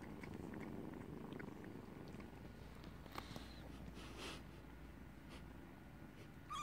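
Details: Kitten purring while nursing, a steady low rumbling purr that fades slightly, broken by light rustling and clicks, with a short high meow at the very end.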